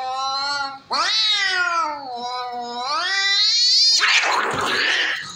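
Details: Cats fighting: a rising, drawn-out yowl, then a second wavering howl climbing higher, ending in a loud breathy hiss or spit.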